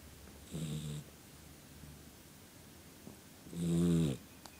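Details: Sleeping dog snoring indoors: two low, rough, buzzy breaths about three seconds apart, the second louder and longer, with quiet hiss between them.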